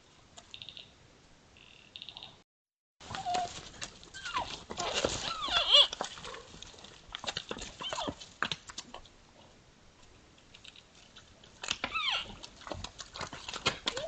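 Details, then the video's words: Sparring sambar, two animals, give loud wavering calls with bent, rising and falling tones in a dense burst, then scattered clicks and further calls; high bird trills are heard at the start. "TWO SAMBAR SPARING & MAKING ODD SOUND,S"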